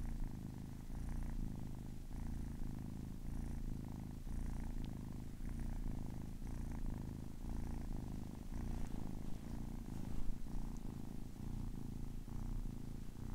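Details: Kitten of ten weeks purring close up: a loud, deep, even rumble pulsing with each breath roughly every second, sustained for the whole stretch with no other sounds.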